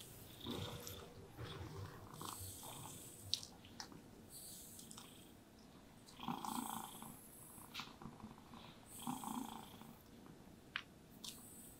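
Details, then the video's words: Happy domestic cat purring while being brushed, resting contentedly; a low, steady rumbling purr runs underneath, overlaid by soft swishing brush strokes at irregular intervals and a few faint clicks. "Happy Cats Purring Sounds with Brushing Sounds"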